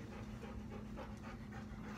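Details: Downy, a six-year-old Siberian Husky in off-leash dog training in Augusta, Georgia, panting: soft, breathy bursts repeating several times a second, faint throughout, over a steady low hum.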